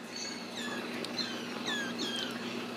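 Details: Ragdoll kittens at a home cattery in central Kansas, raised without cages, give several faint, thin, high mews that slide downward, overlapping against steady room hum.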